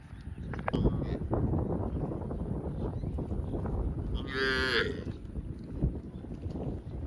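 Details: A grazing cow in a field gives a brief, bright, high-pitched moo lasting about half a second late in the clip, amid continuous low rustling and rumbling.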